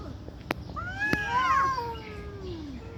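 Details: Angry fighting cat giving a single long wavering yowl that rises then slides slowly downward, with two sharp clicks or knocks just before.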